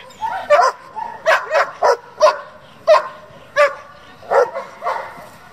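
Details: German Shepherd kept for breeding and competition work, giving spaced, forceful barks roughly every half second to second, with faint whines and a low background murmur between them.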